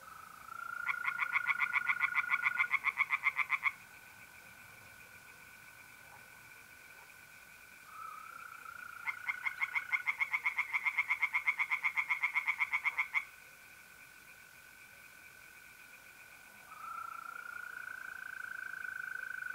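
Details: Pond tree frogs at night in mid-April, north-east Italy, calling in two long bouts of rapid, regular croaking pulses, each lasting several seconds, separated by stretches where only the continuous whistling trill of mole crickets remains.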